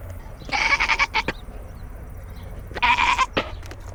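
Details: Nigerian Dwarf dairy goat Foxy, newest herd member, throwing a fit on a homestead goat-cam: two loud, nasal, pulsing bleats, each lasting about half a second, separated by roughly two seconds of quiet rustling.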